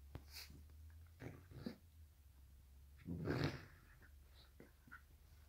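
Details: Two dogs, a black and tan Shiba Inu and a Chihuahua, play fighting indoors on a donut bed; soft snorts and breathing, then one short, loud, rough growling burst about midway, with quieter huffs around it.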